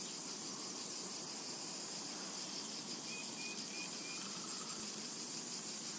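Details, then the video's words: Meadow in summer with cicadas: an unbroken, sizzling high shrill that pulses rhythmically, plus a couple of faint short whistled notes from a bird near the middle. "Summertime and Cicada Ambience"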